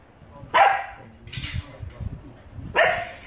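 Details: Alaskan Malamute puppy at play with a shoehorn gives two short, sharp yelping barks about two seconds apart, with soft thumping and rustling of play in between.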